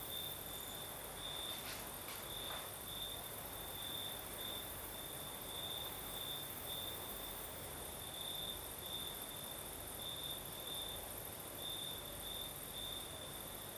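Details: Night chorus of crickets in Crimea, southern coast, under a night breeze: continuous high-pitched trilling that swells in brief repeated pulses, with a few faint clicks early on and a constant airy wash behind.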